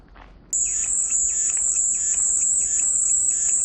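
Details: After half a second of quiet, a cicada's shrill, continuous buzz switches on abruptly and stays level, with faint rhythmic bird chirps pulsing beneath it roughly every half second. Presented as soothing white noise.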